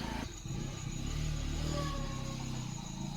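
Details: A vehicle engine rumbles low and steady, with no animal sound heard.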